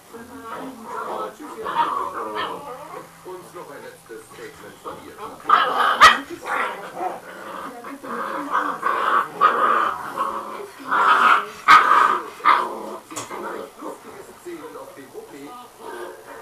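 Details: Male dog, a so-called fighting dog breed, playing with his pups hanging on his neck while the mother lolls nearby; high whiny yelps and whimpers come in irregular bursts, mixed with human talk throughout.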